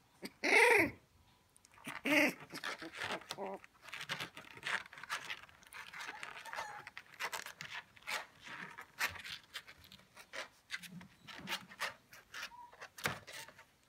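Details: Playing together, 19-day-old male Shiba Inu puppies give two sharp, high yelps early on, followed by a long stretch of quick panting, snuffling and scuffling sounds.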